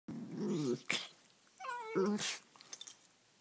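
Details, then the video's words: Two young terrier-mix dogs, rescues nearly two years old, playing rough indoors: low rumbling growls, then a higher whining yelp with stacked tones, and short snuffling bursts. "Mean Puppies Playing"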